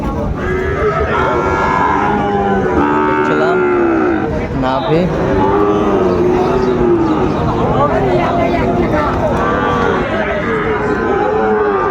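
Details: At a Chattogram livestock market in Bangladesh on 26 September 2024, Sahiwal bull calves give repeated long, wavering moos, some overlapping, against dense background chatter of buyers and sellers.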